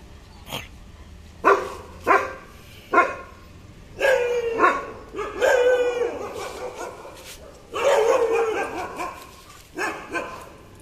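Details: German Shepherd named Sheruu showing aggression: sharp barks, first singly at about one-second gaps, then longer harsh growling barks with drawn-out tails, bursts clustered between four and nine seconds, quieter barks closing.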